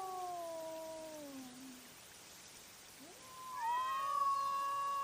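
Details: Cats fighting at night, caught on a trail camera: long wavering tonal yowls sliding slowly downward, a pause, then a rising, sustained howl that holds steady before trailing off.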